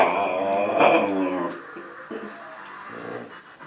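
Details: Siberian Husky. A Siberian Husky puppy whines in a drawn-out, warbling voice that rises and falls for over a second, then trails into softer, broken whimpers. The vocal pleading is an invitation to play.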